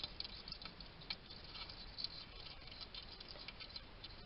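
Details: Male wild hedgehog eating at a garden feeding station in Somerset, UK, captured by trail camera: soft, irregular ticking chews and lip smacks, a few louder clicks standing out over faint steady hiss.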